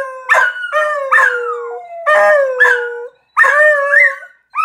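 A beagle howls in a series of drawn-out, wavering baying notes that slide downward.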